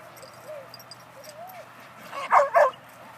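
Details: Tug-it, a red Border Collie puppy at positive clicker-based training, whimpers softly in thin rising-falling tones, then gives two quick, loud yipping barks in succession over a faint hum.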